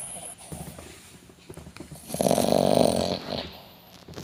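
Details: Sleeping dog snoring indoors: a loud, broad rasping snore swells around the middle and fades, with softer breathing noises and faint clicks before and after.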